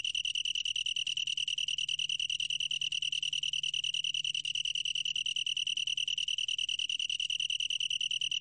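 A long-tailed tree cricket sings a steady, high, ringing trill that runs on without a break.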